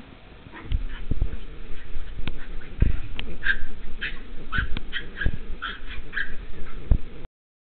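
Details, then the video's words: Dog playing and being chased, letting out rapid high whimpering yips in clusters through the middle and latter part, with thumps and scuffling of play below. "Chien fou!"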